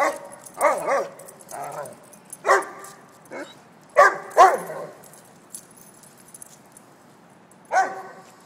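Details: Two-year-old Weimaraner brothers Argento and Seurat, in their teasing and wrestling routine in NYC, give rough harmonic barks and growly yips in irregular bursts, dense over the first five seconds, then a pause before one final bark.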